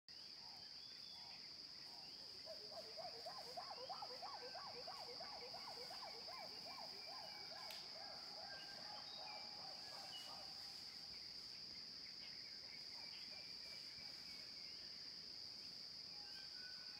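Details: Distant chimpanzees at Issa give a dawn chorus of rising, quickening pant hoots over a steady high insect drone.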